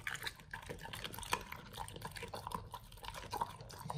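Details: Pit Bulls indoors eating raw beef chunks, quail egg and duck wing in a raw-feeding meal: wet, sticky smacking and crunching bites, irregular and close, with dripping liquid sounds throughout.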